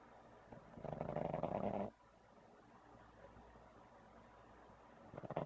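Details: Sleeping pug snoring: one loud, rasping, nasal snore lasting about a second near the start, then a quiet gap, with the next snore just beginning at the end.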